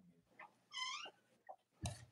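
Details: Young Cavalier King Charles Spaniel puppies, born to Robin and Myra, on a chilly late-October morning in the US: a drawn-out whine rich in overtones that bends down at the end, framed by brief squeaks and a closing thump.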